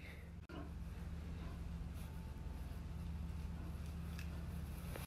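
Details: A steady low engine-like hum with faint background noise, and no animal voice.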